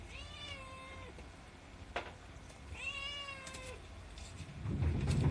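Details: A 7-month-old female Himalayan cat gives two long, drawn-out meows, making a fuss because she wants her food quickly; her voice is somewhat quiet.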